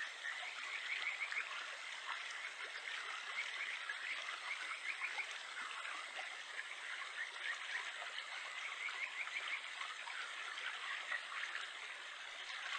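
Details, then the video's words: Kajika frog, the Japanese stream frog Buergeria buergeri, calling in the wild in Japan in July: bright trilled notes near the top of the range in short bursts at about one, four to five and nine seconds, over a steady rush of stream water. "カジカガエル 鳴き声 7月"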